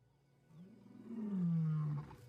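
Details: Lion roar: one deep, drawn-out groaning tone that swells over about a second and a half, rising slightly and then sliding lower before it stops abruptly, over a quiet background.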